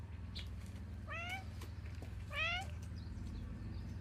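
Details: Domestic cat at a morning gathering outdoors, giving two rising harmonic meows about a second apart, each bending upward then leveling, over a steady low engine-like hum with faint bird chirps.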